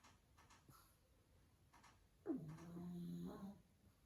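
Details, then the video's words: Pug asleep and snoring loudly in a quiet room, a single drawn-out snore lasting over a second with a steady low buzzing tone, after faint clicks. "Cute Dog Sleeping & Snoring"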